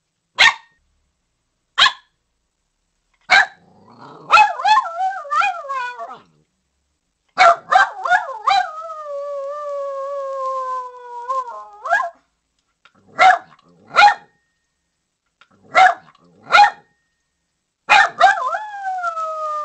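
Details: Poodle alternating sharp single barks with long, wavering, howl-like whines that slowly fall in pitch, then returning to spaced barks. No other sounds.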